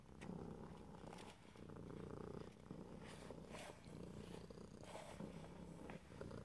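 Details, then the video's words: A house cat purring, recorded ear to ear in stereo without talking; a dense, deep rumble continues in even breathing cycles, with short breathy puffs and faint handling noises. "ASMR Cat: Purring"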